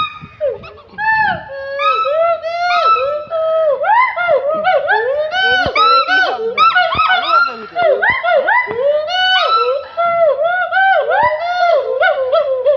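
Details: Gold and black monkey at Assam State Zoo, Guwahati, giving loud, rapid, rising-and-falling whooping hoots. The calls are repeated in quick overlapping series, as though several voices are calling at once, with brief pauses between bursts.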